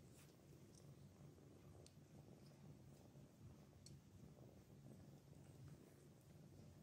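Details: Anna, a mother cat, feeding her kittens gives a low, steady rumbling purr that runs unbroken throughout, with a few faint soft clicks above it.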